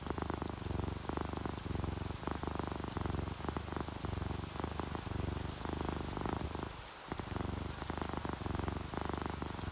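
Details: Sleepy, contented domestic cat, tabby or calico, purrs in a continuous deep rumble pulsing with its breathing, while steady rainfall patters and hisses over it, with one brief pause in the purr.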